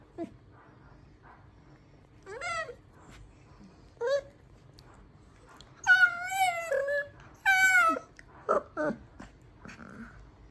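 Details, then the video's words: Miniature dachshund puppy 'singing': scattered short rising whines, then two drawn-out wavering howls of about a second each, followed by a few brief yelps, indoors and otherwise quiet. "Mini dachshund puppy is not just a biter but a singer too"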